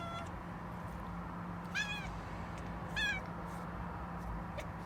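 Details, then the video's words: Domestic cat chattering before an unexpected yawn: two short, high chirping calls with bending harmonics about a second apart, fairly faint over a steady low hum and background rumble. "고양이의 어설픈 채터링과 뜬금없는 하품"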